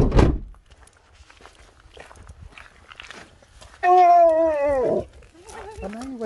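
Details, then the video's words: Husky named Sherpa, waking from sleeping through the whole journey as a very happy, shocked dog meeting a surprise; a loud, drawn-out, harmonic howl that wavers then falls, followed by a shorter rising-falling whine, after human voices and a thump. "Husky wakes up to the Best Surprise Ever!"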